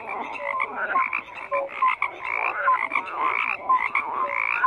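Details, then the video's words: Many frogs croak together, rasping pulsed calls rising and falling in waves, punctuated by short bright whistled notes, continuous throughout. "FROGS CROAKING"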